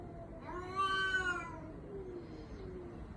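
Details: Domestic cat giving a drawn-out, wavering meow likened to a human baby's cry, rising then falling over about a second, followed by a fainter second meow; low background rumble.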